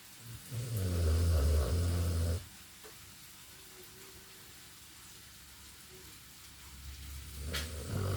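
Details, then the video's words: Dog snoring heavily in a room, one long low rasping snore lasting about two seconds, followed by a quiet stretch and the start of another breath. "Моя собака жутко храпит"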